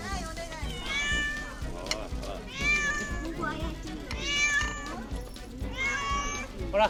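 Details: Cats following people on Ao Island, Japan, on a December morning in 2015: four drawn-out, wavering meows, rising then falling, each about a second long. A person talks in the background.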